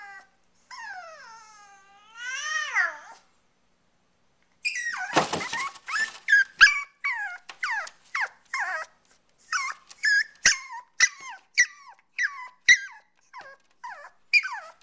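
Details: Pomeranian puppy giving high, wavering whimpers that slide up and down, then after a brief pause a rapid run of short sharp yips and squeaks, repeated roughly twice a second, indoors with no other sounds.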